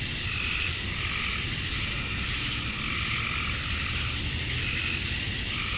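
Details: Male cicadas chirping to attract females at dusk on a summer night in Georgia, USA: a dense, unbroken high-pitched buzzing drone from many insects, steady in loudness with faint slow swells in the lower tones.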